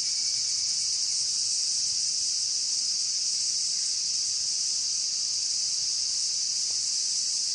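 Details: Evening chorus of cicadas mixed with higurashi, heard on a walk at dusk. A continuous high-pitched buzzing wall of sound holds steady from start to finish with no breaks, and the background is otherwise quiet.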